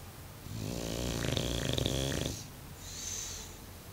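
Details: Mario, a Bulldog, snores in deep sleep indoors: one long rasping inhaled snore of about two seconds with a buzzy, rattling low tone, followed by a softer, airy breath.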